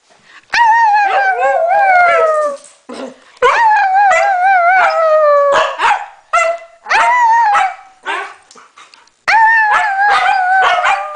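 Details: Norwegian Elkhound singing along with a Husky indoors: wavering, tonal howls rising and falling in long drawn notes, broken by sharp yelps and short barks, repeated in three bursts with brief gaps while a woman eggs them on.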